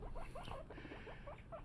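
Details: Pet guinea pigs, mother Luna and her sons, while eating celery: a string of short squeaky chirps, some rising and some falling, come in quick bursts with a soft hiss underneath.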